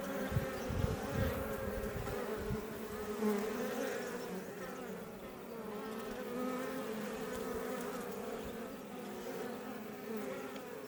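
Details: Iberian honey bees (Apis mellifera iberiensis) buzzing outside a Langstroth hive west of Roquetes, south Tarragona, Catalonia, Spain, near Els Ports; a steady droning hum with layered tones, a few louder low passes of individual bees early on.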